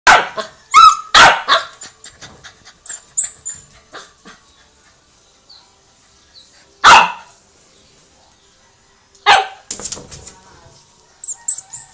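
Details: Chow Chow dog barking as a household alarm clock: loud sharp barks in a quick cluster at the start, then isolated single barks around seven and nine seconds, with short fainter yelps and quiet gaps between.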